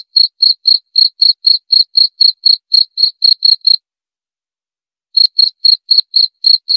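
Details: Cricket giving quick, regular chirps, about four per second, each a short high tone; a pause of about one and a half seconds breaks the sequence before chirping continues. Clean, silent background.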